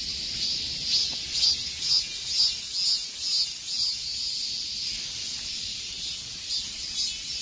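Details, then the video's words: Cicadas droning in the summer heat, a shrill metallic buzz pulsing in steady beats about every half second, briefly flattening into a smooth hiss before the throbbing returns. "삼복더위에 들을 수 있는 매미 소리"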